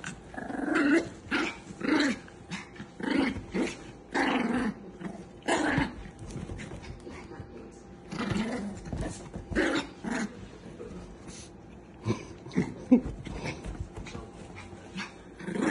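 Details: Chihuahua growling and snarling in rough bursts with an occasional sharp yelp, the outbursts coming irregularly over about sixteen seconds while people talk and laugh close by.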